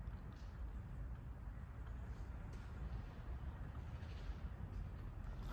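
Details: Steady low rumble like distant traffic or wind outdoors, with no animal voice heard.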